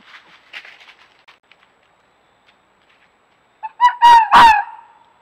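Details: A red fox of a playful mating pair, caught on a trail camera at a scent-marking tree on an acre behind a home in Hendersonville, North Carolina, gives two loud, harsh, raspy calls after faint, soft chattering.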